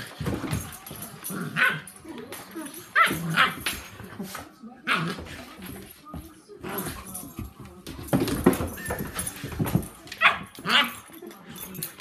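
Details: Sandy, a 10-week-old puppy, romping with seven-month-old Rozzie; scattered short yips and whimpers with grumbling growls, and voices talking over much of it.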